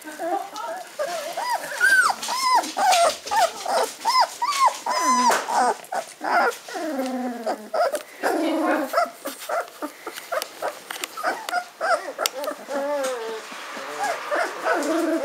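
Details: A B litter of Hungarian Vizsla puppies aged fifteen days, starting to walk, squeal and whimper in quick arched notes about two per second, several pups overlapping, with softer grumbling cries and rustling in between.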